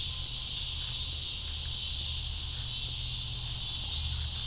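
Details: Steady wall of cicada sound, a continuous shrill electric buzz without rhythm or breaks, with a soft low hum underneath.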